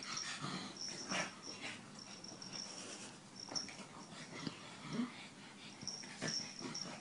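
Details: Pug breathing with raspy, wheezing snorts and snuffles, irregular bursts over a steady faint hiss, recorded indoors.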